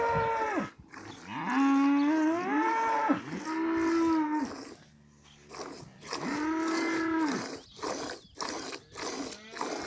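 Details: A village cow gives repeated drawn-out moos, each steady and tonal with a drooping end, three long calls and a later fourth, separated by pauses filled with rhythmic crackling noise.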